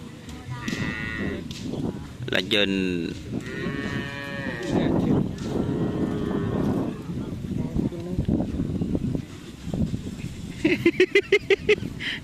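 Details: Several loud, tonal moos from cattle at a karapan sapi bull race training session in Pamekasan, some long and arching, others short. They sound over a noisy crowd, with music and a burst of rapid clattering near the end.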